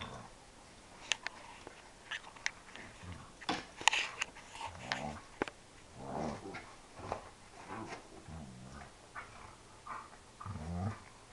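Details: Playful Dobermann indoors giving a series of low, moaning, almost cow-like growls, short harmonic bursts spaced every two seconds or so between scattered clicks and thumps of play.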